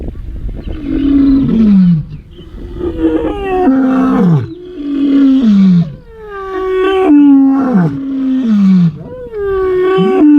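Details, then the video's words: A male lion, one of two Ndzhenga males in the dry bushveld, roars while waking in the early morning after calling persistently for about an hour, in a series of deep, falling grunts, each about a second long. "so there is no more iconic sound than the Roar of a male lion waking up"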